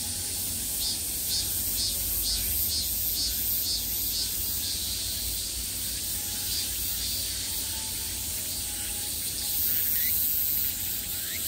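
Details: Cicadas in summer fill the air with a loud, high, hissing buzz that pulses in rhythmic waves early on, then settles into a continuous drone, with low background rumble.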